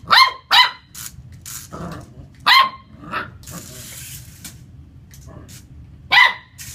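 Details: Lucy the Corgi puppy takes on a remote-control car: two quick barks open the sequence, then scattered single barks follow with gaps, and softer noise and scuffling sounds come in between.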